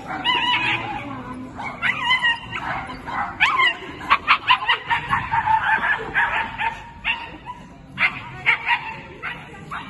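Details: Female Scottish Terrier competing at the 2022 Swiss Agility Championships, giving a rapid series of yipping barks, some in quick bursts, with people talking in the background.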